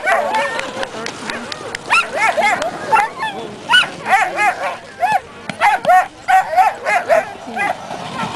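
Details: Dogs at the dog races of the Caribou Carnival 2007 give excited, high whining yips in quick rising-and-falling bursts, several in a row, over a steady murmur of crowd voices outdoors.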